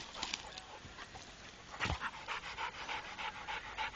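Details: Rako, a trained Pit Bull, pants in soft rapid breathy puffs at a steady pace, with a brief louder thump near the middle.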